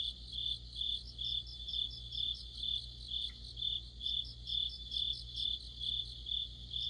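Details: Crickets and fellow insects sing in deep autumn under a streetlight, rhythmic high chirps pulsing roughly twice a second with a second, higher caller chirping in quick runs alongside, faint low hum throughout.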